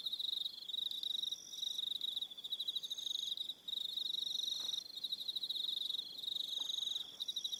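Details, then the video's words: Crickets on Aroha Island, New Zealand, in the evening: a dense, high pulsed trilling chorus in rapid bursts with brief pauses, plus fainter higher-pitched trills layered above. "1 Hour Relaxing Evening Sound of Crickets"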